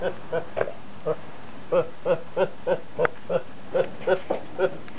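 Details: Domestic goat described as going around laughing and sneezing all day: short, nasal, harmonic bursts repeated about three times a second in an uneven run, with a person's laughter nearby.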